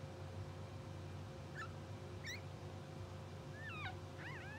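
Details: Newborn English Bulldog pups, two hours old and from a blue sable litter, sleep and twitch while letting out short thin squeaks, then a pair of looping, rising-and-falling whines near the end over a constant background hum.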